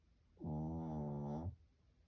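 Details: Snoring of a pet Shih Tzu named Dungi: one long, steady rasping breath lasting about a second, with even, evenly spaced harmonic bands, in a quiet room.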